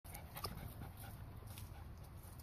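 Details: Female pug panting in quick, soft, breathy bursts as she struggles to get a ball out of a Croc shoe, low rumbling background noise throughout.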